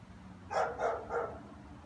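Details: German Shepherd heard on returning home from work in the afternoon, barking persistently; three loud, rough barks spaced about a third of a second apart over faint background hum.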